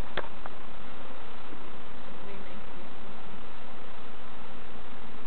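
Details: Bees at hives being checked by novice beekeepers at Summerwood Lane Allotments and Community Garden; a steady, low droning hum under a rough rustling wash, with a sharp click near the start.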